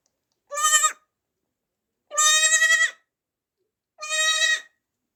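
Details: A newborn baby goat from 2024 bleats three times, each cry strained and tremulous, the middle one longest, with clean pauses between them.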